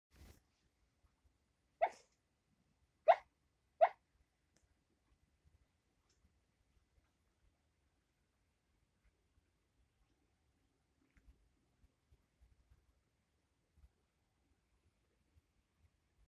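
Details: Sleeping dog giving hiccup-like sleep barks: three short, soft broadband yips near two, three and four seconds, then near silence with faint small rustles.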